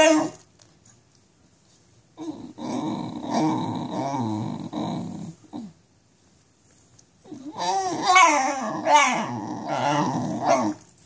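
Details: A Basenji in pain from nerve root damage while walking, giving two long bouts of warbling, growl-like moaning whimpers with bending pitch, separated by a few seconds of silence.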